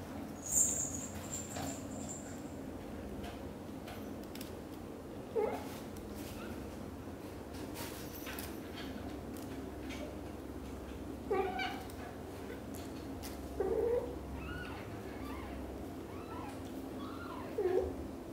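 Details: British Shorthair kitten Cream, Chan's black golden daughter, leaves the nest for the first time while mother cat Xaxa anxiously follows every step; four soft, short mews sound several seconds apart above a steady low indoor hum.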